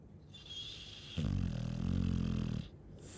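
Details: Snoring Chow Chow: after a faint breath, a loud low rattling snore starts abruptly and holds for about one and a half seconds, coarse and droning, then stops.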